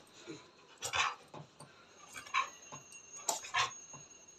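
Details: Pet dog in Nepal, angry and complaining out of jealousy after smelling street dogs on its owner's hands; short broken whining and yelping bursts, several sharp peaks spaced irregularly, quiet room.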